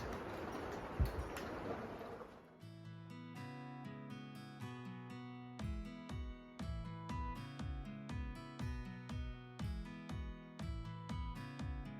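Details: Two seconds of hissing rain-like noise, then gentle plucked guitar music with regular notes about twice a second; no animal calls stand out.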